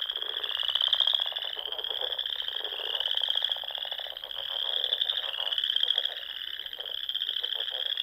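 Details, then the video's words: Spring chorus of frogs from the Sandhills of Nebraska at dusk by small ponds: continuous high pulsing trills overlapping, with louder swells roughly every two seconds and a few lower croaks underneath. "RELAXING SOUNDS OF FROGS"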